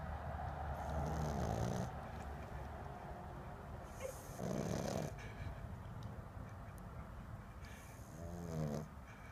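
A Boston Terrier puppy snores in low, rasping breaths that swell and fade every few seconds.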